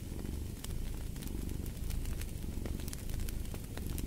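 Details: Deep, grainy purring from a cat, rhythmic and unbroken, mixed with the pops and hiss of a burning fire.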